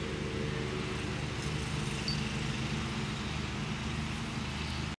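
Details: A steady, low engine drone rumbles beneath a wash of road traffic noise. No animal voice breaks through.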